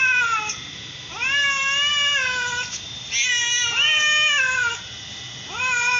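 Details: Mother and daughter cats of matching colour meowing back and forth, long bending meows lasting up to a second and a half, two voices overlapping around the middle, with a final short meow.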